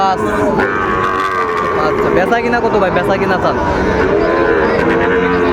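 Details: Sahiwal bull calves at Raniganj market in Dinajpur on 2 May 2024: a drawn-out, low, droning moo holds steady through the second half, over constant crowd chatter and market bustle.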